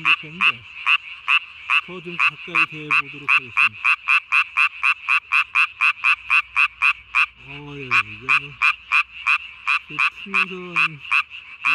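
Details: Japanese tree frog calling at night on 3 May 2020, its vocal sac under the chin inflated as large as its body. Sharp, bright croaks repeat rapidly and steadily, about three per second, with low human voices murmuring intermittently beneath.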